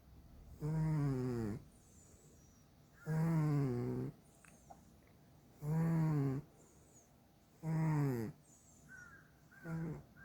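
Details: Domestic cat asleep indoors, snoring steadily: four even, buzzy snore bursts repeating roughly every two and a half seconds, each about a second long with a slightly falling drone, then a shorter, softer snore trailing off at the end.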